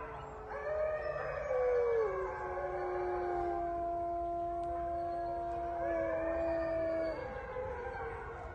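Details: Gray wolves at a wolf sanctuary, including a ten-year-old female on her platform, howl together, long smooth notes overlapping at different pitches in a group chorus.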